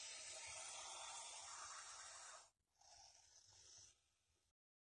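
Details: Venomous snake settled beside a water meter in Masis, hissing: a steady, breathy, broadband hiss lasting about two and a half seconds, a brief pause, then a second, softer hiss of about one second.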